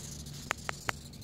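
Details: A cow killer velvet ant, a wasp, gives three short, scratchy squeaks about a fifth of a second apart when disturbed. This fast insect is noted as vocal and territorial.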